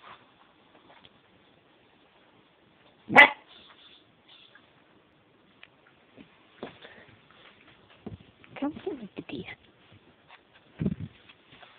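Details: Malik, a puppy, reacts to his own reflection in a mirror indoors with an older dog named Sara nearby: one sharp loud bark, then scattered soft yips and whines, with a person's voice heard briefly.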